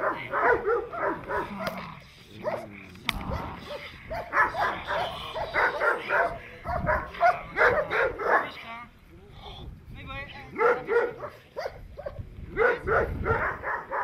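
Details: Protection training of a Presa Canario: rapid volleys of rough barks broken by short pauses and human voices, the barking resuming in fast clustered runs toward the end.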